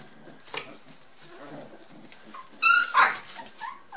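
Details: Two 23-day-old Border Collie pups, Yack and Star, one blue merle and one black-and-white. After quiet shuffling there are two sharp, high squealing whimpers close together, then a softer whine.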